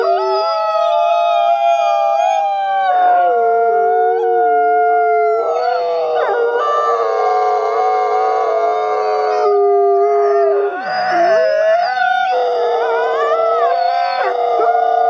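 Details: Captive-born gray wolves at a wolf conservation center in South Salem, New York, howling together for social bonding; several long, smooth overlapping howls at different pitches, some wavering and dipping, forming a continuous chorus throughout.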